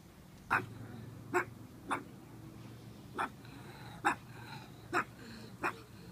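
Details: Pug puppy named Maisy chasing shadows indoors, recorded July 31, 2015: short, sharp, harsh barks or snorts come singly at uneven gaps, seven bursts in about six seconds over a low steady hum.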